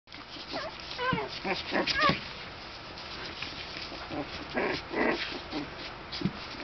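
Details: Very young puppies in a whelping box, barely able to walk, play-fighting with each other; short whiny yelps with rising and falling pitch, a few soft growly grunts, brief bursts scattered across the clip.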